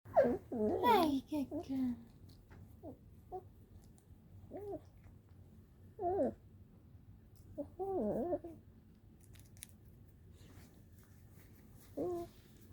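A puppy gives wavering, babyish whines and yips in short bursts, answering a morning greeting.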